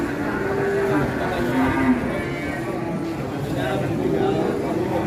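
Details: Huge one-ton qurban cattle coming down from a truck: short, steady lowing tones rise over a constant din of voices and music from the gathered onlookers.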